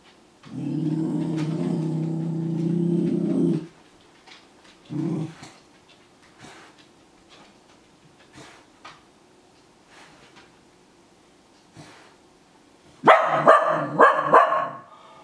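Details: Japanese Spitz scared of its own shed fur, threatening it indoors: a long, low rumbling growl of about three seconds, a short growl burst, quiet shuffling, then a few sharp, higher yaps near the end.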